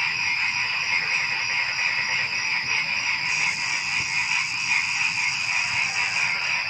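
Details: Pre-dawn frog chorus with crickets: constant layered trilling and rapid pulsing croaks, even in loudness from start to finish, with no other clear sounds.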